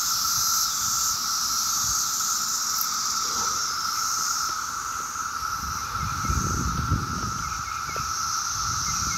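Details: A Maryland summer day filled with 17-year cicadas emerging en masse: a steady buzzing drone and high hiss run on without pause, while low rumbling background noise swells midway, possibly traffic.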